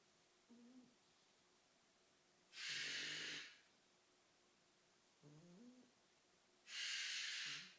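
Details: A French Bulldog puppy snores in low, rumbling breaths after a long night of playing, broken by loud, harsh cockatoo screams in the background.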